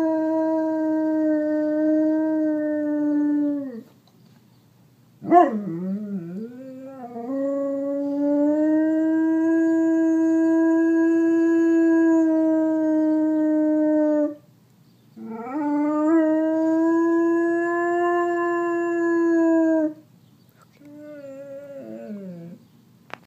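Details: Simon, a pet dog, howling at a passing siren: long sustained tonal howls with rich harmonics, held steady for several seconds each, separated by short breaks with brief wavering, yipping onsets and a softer final howl.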